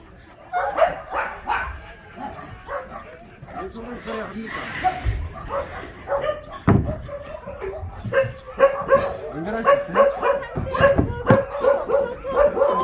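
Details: Shelter dogs at Ulsan Naraeul Center, formerly Mindeulle Shelter, during a volunteer visit: several sharp, mid-pitched barks repeated irregularly, roughly once a second, overlapping one another, with human voices talking throughout.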